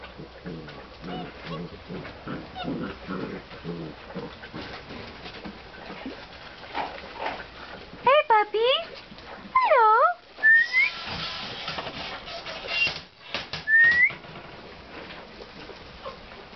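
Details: Basset Hound puppies from 2009 whimper in high, wavering, rising whines after a stretch of human talk.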